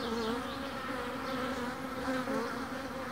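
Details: Honeybees at a colony being split by a beekeeper: a steady, low droning buzz with a strong hum and a higher overtone, holding level throughout with slight wavering.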